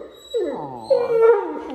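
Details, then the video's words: Tonka, an Alaskan Malamute at the vet's office, chatting with staff: a drawn-out, wavering, whiny howl that rises and then sags, voiced in a mid pitch, indoors. "Watch Him Chat With Everyone At The Office!"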